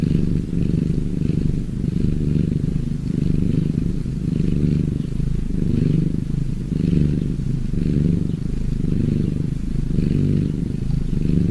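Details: Low rumbling cat purr running unbroken for the whole stretch, pulsing gently with each inhale and exhale, about one cycle per second, in a quiet setting.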